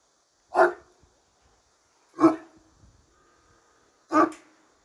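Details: Deep, resonant barks from a Turkish Great Dane behind a bar: three single barks about one and a half to two seconds apart, with quiet pauses between them.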